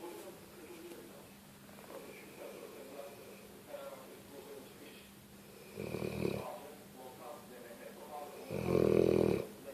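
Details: Pet dog asleep in a small room, snoring: soft breathy rasps build to two loud, coarse, rumbling snores near the end, the second deepest, over a low constant background hum.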